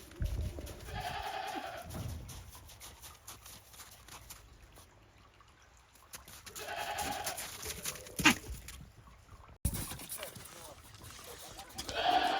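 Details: Goats at a farm in Japan venturing timidly onto deep snow after a heavy snowfall, 28 December 2023; several wavering bleats spread through, with clicks, a sharp knock and handling noise between.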